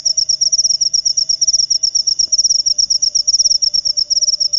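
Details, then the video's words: Shrill jangkrik upo cricket chirps, short buzzy bursts of clicks repeated evenly about seven times a second without pause, bright and loud against a quiet background. "Jangkrik upo"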